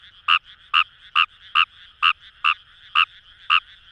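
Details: Fejervarya kawamurai from paddy fields of Itoshima, Fukuoka Prefecture, Japan: eight grating croaks in four seconds, evenly paced, against a soft continuous chorus of other frogs.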